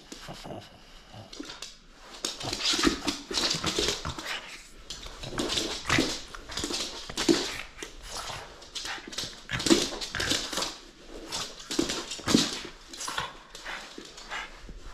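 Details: Playful French Bulldog holding on to a toy and refusing to let it go, giving breathy, grunting growls and snorts in repeated bursts every second or two, in a small indoor room.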